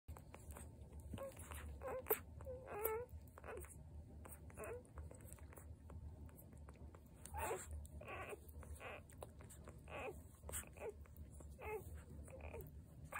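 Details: Newborn Vizsla puppies, six of a litter of seven, give short, thin squeaks and whines, scattered irregularly over a low background hum.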